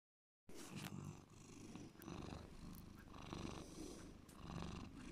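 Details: Bear, a pet cat, purring deeply: a low rumbling purr that swells and fades in slow breathing cycles, with faint clicks and rustles over the top.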